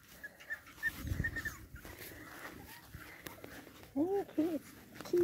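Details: Boston Terrier puppies of a single litter: two short arched whimpers in quick succession, then one more brief whimper, with faint squeaks, handling noise and a person speaking quietly earlier.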